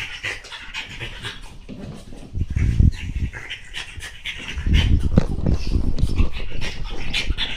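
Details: French Bulldog named Monaka rampaging on a chair, breathing in quick, rough, breathy pants and snorts, about four per second, growing louder near the third second and again from the fifth, over low thumps and rustling.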